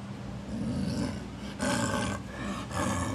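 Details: Captive snow leopards at Maruyama Zoo, father Akbar, male Yamato and female Yukko, calling to one another from neighbouring enclosures, 22 July 2010; a pair of rasping, puffing bursts roughly one second apart, with a low background hum throughout.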